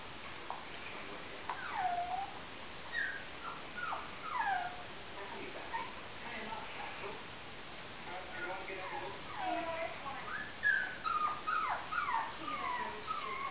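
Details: Jack Russell Terrier puppy giving repeated thin, high whimpers that slide downward, coming in scattered bursts with short pauses and growing busier toward the end.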